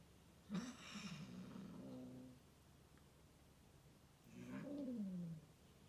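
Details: Domestic cats on an indoor play date, fostered cats including orange male Leo and semi-wild Loke with female Tirli; two low, drawn-out growling calls with wavering pitch, one early and one near the end, against a quiet room hum.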